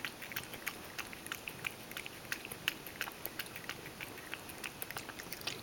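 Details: Mojio, a Ragdoll cat, laps milk indoors and spills plenty as it drinks. Crisp wet clicks come about three times a second, uneven in spacing, over a faint steady background hiss.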